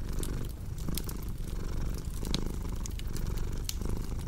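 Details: Low, throaty purring from a cat, rhythmic and unbroken, accompanied by scattered crisp crackles from a burning fireplace.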